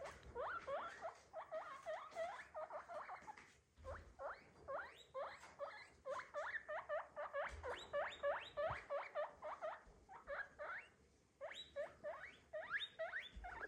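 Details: Pet guinea pig making noise: rapid bursts of squeaky, repeated chirping notes, several per second, in runs of a few seconds separated by short pauses, with faint low thumps underneath.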